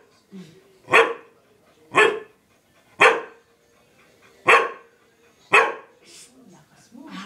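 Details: Pet dog that wants to go out but cannot, barking in frustration: five sharp, loud barks, each about a second apart, in a steady rhythm. Softer, lower sounds come at the start and end, with a faint steady hum underneath.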